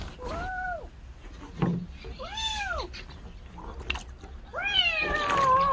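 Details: A kitten that lost its mother, taken in after spending a night: three clear, arching meows about two seconds apart, the last longer and more insistent with a rising then falling tone, with faint indoor handling noises.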